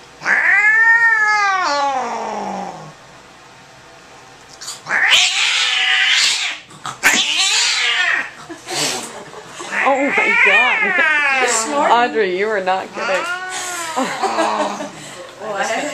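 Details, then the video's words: A cat angry and frightened during a vet visit gives repeated long wavering yowls and moaning growls, some rising and falling, broken by brief hissing noises and clatter in a small room. "Angry cat at vet"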